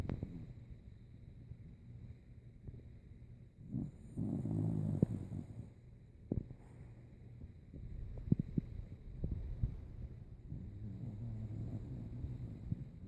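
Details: Old dog named Rico asleep, snoring like a saw: low, rumbling, rasping breaths with a louder grinding snore around the middle and irregular soft snorts throughout.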